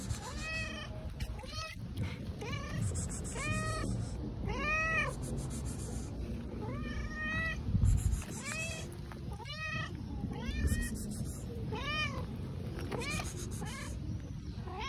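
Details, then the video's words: Several cats paw and bump the camera while meowing loudly: about a dozen arched, rising-then-falling meows, often overlapping, with knocks and rustling against the microphone and a steady low rumble underneath. "Cute unbelievable cats hit my camera and meow loudly"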